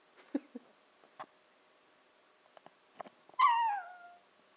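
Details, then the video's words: Nanako, a Shiba Inu puppy of 14-15 weeks, "talks" indoors; soft clicks and small knocks precede one loud, long descending whine with strong harmonics sliding down over nearly a second. "A Conversation with Nanako"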